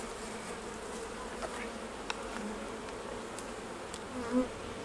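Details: Honey bees humming steadily at the hives while honey is taken off, a constant low buzzing with faint intermittent ticks and a short louder knock near the end.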